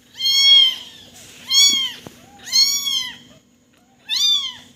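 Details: Kitten crying with loud, high-pitched meows, each rising then falling, about one every second with short gaps between; indoors, little background noise.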